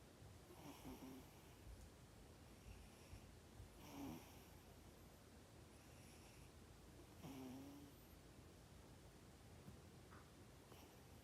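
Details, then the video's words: Sleeping cat snoring indoors in a small room, soft breathy snores recurring roughly every three to four seconds, each with a faint low drawn tone and hissy upper breath. "Snoring cat"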